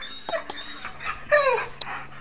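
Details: Small dog and big dog fighting over a chair out of jealousy; short high whimpering whines with a few quick downward-sliding notes, one longer falling whine near the middle, over quiet room background.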